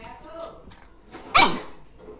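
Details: Two-month-old Labrador Retriever puppy giving its first-ever bark: a single short, sharp yelping bark rises out of quieter background murmurs of human voices.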